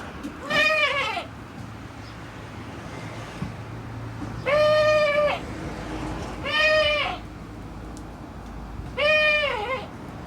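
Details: Male goat whose voice does not fit his build, giving four drawn-out bleats about half a second each at irregular intervals. Each is steady-pitched and slightly wavering with a bright, nasal ring, over a low background hum.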